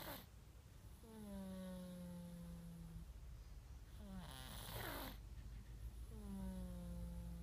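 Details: Sleeping cat snoring, filmed on an iPhone 5s: three drawn-out, rasping breaths in quick succession, each a droning tone that sags slightly in pitch, the middle one breaking into a louder hissing rush of air.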